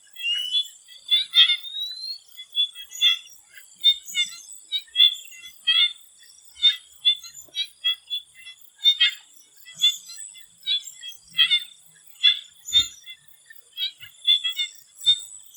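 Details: Swamp frogs in Thailand before sunset, calling in short, irregular bursts of harsh, stacked croaks that come every second or so. A steady high insect whine runs underneath.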